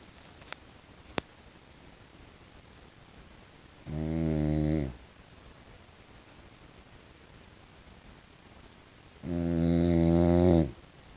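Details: French Bulldog, a tiger brindle pet dog indoors, snoring at home: two low rumbling, harmonic-rich snores about five seconds apart, each lasting about a second, with two brief clicks near the start in a quiet room.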